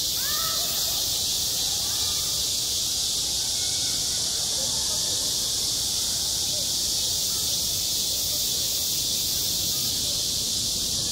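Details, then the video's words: Cicadas singing in summer at a school playground, a dense, unbroken high-pitched shrill buzz that holds steady throughout, with a few faint short rising calls early on beneath it. "한 여름 운동장에서 매미가 울고 있다 - 여름의 소리, 학교 종소리, 매미 울음소리"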